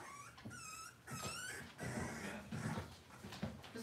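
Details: Cavalier King Charles Spaniel puppies indoors on a cloudy Monday morning: thin, high whining cries in short bursts, two clearer wavering whines early on, then fainter squeaks mixed with low rumbling handling noise.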